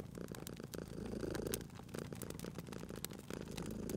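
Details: Sleeping cat purring at a crackling fireplace, a continuous low vibrating rumble overlaid by frequent sharp pops and crackles of burning wood.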